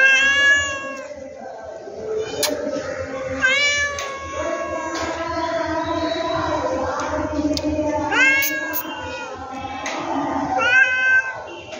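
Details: Domestic cat meowing repeatedly, several drawn-out, harmonic-rich meows that rise then fall, mixed with background music and voices.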